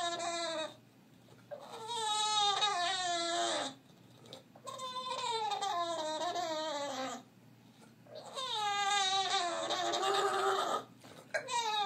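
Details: Bulldog whining just like a baby, in three long drawn-out bouts of high, wavering, strongly harmonic cries that rise and fall in pitch, separated by short quiet gaps; no other clear sounds.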